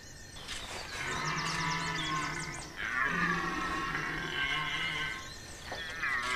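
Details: Red deer in the Chambord rut, September 2021, roaring in long, deep, drawn-out bellows with a brief break between them, grinding and harmonic, while birds twitter faintly in the background.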